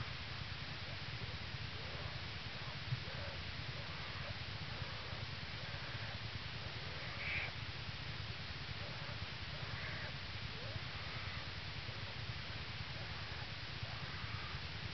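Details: Yearling black bear purring on her mother in a Minnesota den the morning after two cubs were born, January 2011, North American Bear Center, Ely. A continuous low pulsed hum fills the recording, with a single faint high squeak midway.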